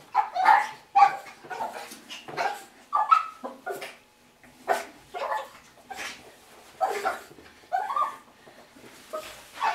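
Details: Russian Toy Terrier, 6.5 months old, excitedly greeting its owners home from work, a daily routine: rapid high-pitched yapping barks, about fifteen in ten seconds, some with whiny tails, indoors.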